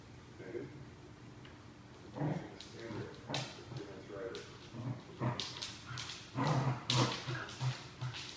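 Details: Basset Hound puppy chasing its tail and catching it, giving short whimpers and yips, a cluster of soft low yelps in the second half, with scuffling and rustling throughout.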